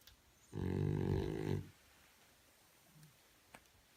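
A French Bulldog puppy gives one loud, deep, rattling snore lasting about a second.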